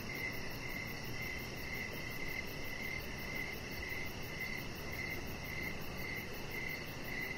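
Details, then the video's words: Evening crickets calling near a deck where a chihuahua puppy rests among decoration lights. Short, even chirps come in a regular string, about one every half second, above a soft background rumble. "Cricket Sounds"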